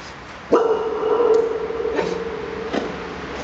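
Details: Dog barking into a tunnel near Twickel Castle after a swim, each sharp bark followed by a long, ringing echo that hangs as a steady mid-pitched tone; three barks in total, the first loudest and the others softer.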